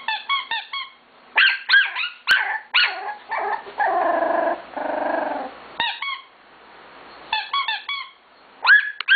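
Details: Scottish Terrier puppy, a five-week-old girl, objecting to a squeaker during a photo session. Shrill yips and a drawn-out whiny protest in the middle alternate with quick runs of squeaky-toy peeps.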